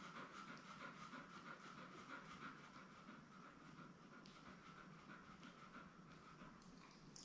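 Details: Nursing mother Labrador Retriever Belle with her seven newborn puppies, born May 24, 2021, recorded by an indoor puppy cam: fast, even panting throughout, roughly three breaths per second, over a quiet steady hum.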